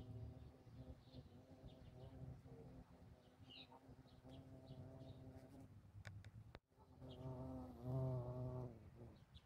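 A bumblebee's low, droning buzz rises and falls in pitch as it flies close by.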